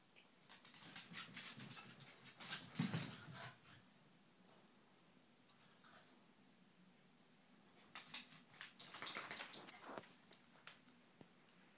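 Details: Two Corgis play fighting, giving low rumbling growls that swell into snarly bursts around three seconds in and again near the end, amid scuffling, clicking paws and other movement noise.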